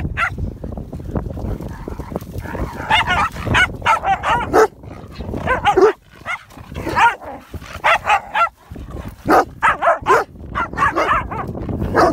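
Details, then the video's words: Rasta the Komondor, a dog waiting for the Group to be called at a Championship dog show, initiating play: rapid bursts of short, yipping barks with brief pauses, over steady indoor hall background noise. "Komondor initiating Play"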